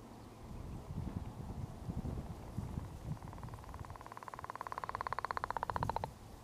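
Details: Male leopard frog giving its daytime mating call in April in southern Manitoba; after soft low rumbling, a long drawn-out pulsed snore builds from about three seconds, rapid even pulses growing louder for roughly three seconds before stopping.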